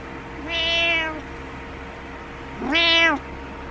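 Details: Morning wake-up meows from Butters the cat, wanting the owner up: two clear, tonal meows about two seconds apart, each rising then falling slightly, over a faint indoor hum.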